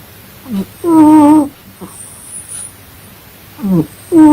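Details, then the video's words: Cat asleep and snoring: a brief rising squeak, then a longer even nasal tone with bright overtones, quiet, then another breath begins near the end. "My funny cat snoring while sleeping"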